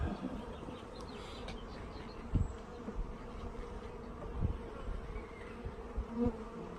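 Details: Package of honey bees being installed, many bees in the air after a delayed postal delivery left them without food; steady low droning hum throughout, with a few sharp knocks and handling taps.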